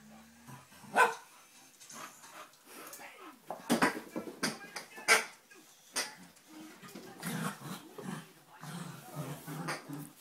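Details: Five-month-old Dogue de Bordeaux named Buddy playing indoors, letting out a few short, sharp barks spaced a second or so apart among low grumbles, with people talking nearby.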